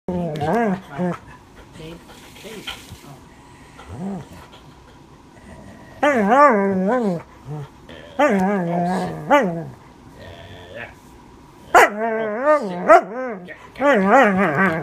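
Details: An Alaskan Malamute named Keria 'talks' in wavering, yodel-like woo-woo sounds that rise and fall in short bursts.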